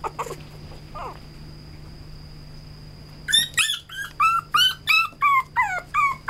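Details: Male red-coated Toy Poodle: after about three quiet seconds with a faint whine, a fast run of high, pinched whines breaks out. Each one bends downward and they come roughly three per second.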